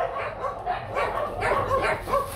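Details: Rottweiler barks at the Gervi kennel, home of the young stud male Nano; a handful of husky, irregularly spaced barks over a low background hum.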